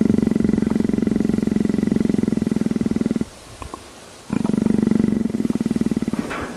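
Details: A leopard being scratched behind the ear, begging for affection like a pet cat, gives a deep, steady, fast-pulsed purr of contentment in two long bursts with a brief pause between.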